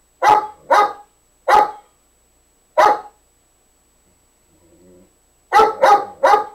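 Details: Dog Nikki barking at Nubbs to get him to play; sharp barks spaced irregularly, a gap with a faint low grumble, then a fast burst of three barks to finish.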